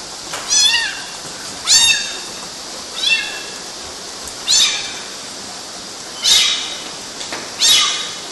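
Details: Six sharp, high-pitched kitten meows, each short with a quick downward slide, arriving about every one and a half seconds as kittens climb mosquito nets in Galati, Romania, June 2012.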